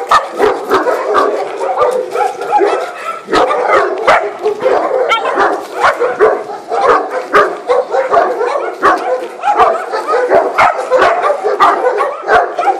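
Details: A Maremma sheepdog and Thor, a three-month-old puppy. Steady rough growling runs throughout, broken by sharp yaps and barks roughly every half second. Scuffling thumps sound between them.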